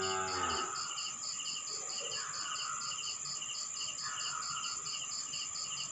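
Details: Crickets chirping at night in a rural town in the Philippines, a dense train of quick high pulses with a lower trilling layer and constant shrill hum; a cow moos briefly at the start.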